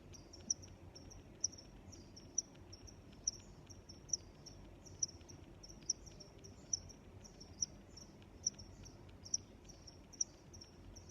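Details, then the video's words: High thin cricket chirps repeated roughly once a second, interleaved with softer chirps of other crickets, over low constant ambient noise. "Sounds of Crickets"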